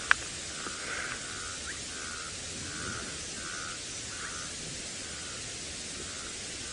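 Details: Stream frogs give a series of short, mid-pitched ticks, about two per second, over a steady background hiss, on a sunset drive near a swamp in Djuma Game Reserve, Sabi Sand, South Africa, on 18 September 2017, after a night of rain.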